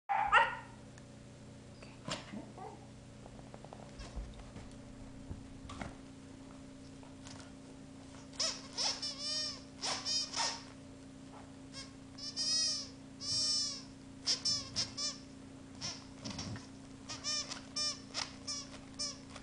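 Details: A Welsh Corgi with his soft soccer ball gives a run of high, arching whines and short yips over a low electrical hum.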